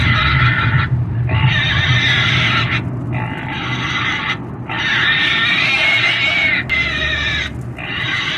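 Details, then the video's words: Repeated screaming from a pig, a series of raspy high squeals, each a second or two long, following one another with brief breaks and a low droning background. "Pig squealing😱sounds"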